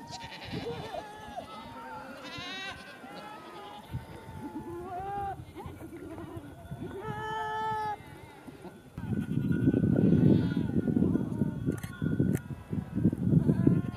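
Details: Angora goats filmed during a birth for a documentary; wavering, drawn-out bleats from several animals in the first half, then louder low rumbling noise dominates the final seconds.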